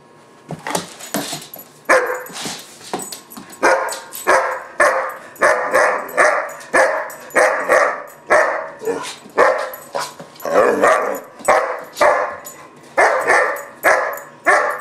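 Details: Temper tantrum of a German Shepherd pup called Gunner, aged about 4-5 months: a continuous string of loud, rasping barks, nearly two a second, with little break throughout.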